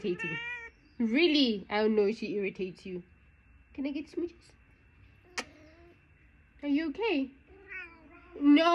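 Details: Domestic cat, called a little chatterbox, vocalising indoors in a small room: bursts of wavering, bending meows and chirrupy chatter in several runs, with a person talking to it in between and a sharp click near the middle.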